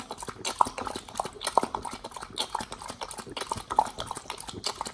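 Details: Nomyen, a Pit Bull on a raw diet, chews beef shank with green tripe, chicken feet and quail egg; slow, wet mouthfuls and crunches, roughly one per second, with occasional clicks.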